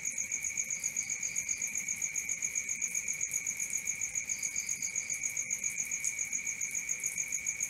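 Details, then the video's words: Night-time cricket chirping: a relentless high, ringing trill pulsed about four times a second, joined twice by a short cluster of fainter, higher chirps. "Cricket 1 hour for Sleeping & Relaxation, Black Screen, ASMR, Dark Screen Nature Sounds"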